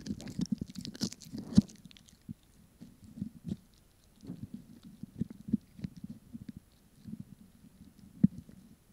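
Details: Close ASMR-style recording of a Pomeranian having a snack: clusters of moist chewing and crunching separated by short pauses, with a few louder bites standing out against near silence.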